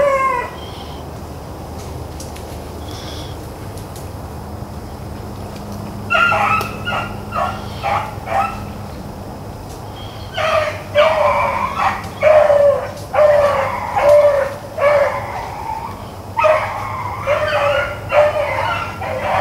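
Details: Hounds, Blackcreeks and Blueticks, running rabbits on April 4, 2013: after a quiet start, bursts of loud, ringing bays with tonal cries sound in irregular clusters, roughly sixty a minute, over a steady low background hum.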